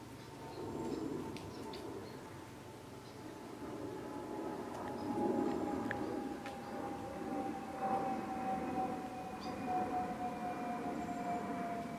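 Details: A steady mechanical tone slowly sliding lower over a broad rumble, like a passing train or distant siren, with no animal calls.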